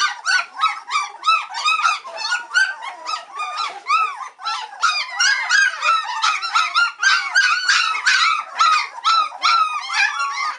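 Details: A litter of White Swiss Shepherd puppies, three weeks old, grow impatient while waiting for their mum Cova to come back and feed them: a dense, continuous chorus of short rising-and-falling whimpers and squeals, several pups calling over one another.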